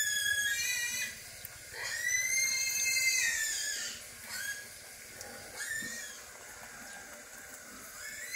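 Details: Puppies nursing from their mother dog, giving high, thin, squeaky whines with stacked overtones that rise and fall in several drawn-out bursts, the loudest around the second and third seconds, with quieter gaps between.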